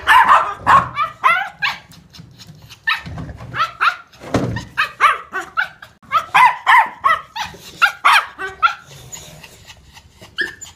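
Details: Toy Poodle barking at a doggy daycare, quick high yapping barks in irregular volleys, dense runs broken by brief gaps, one dull thump near the middle, close and loud throughout.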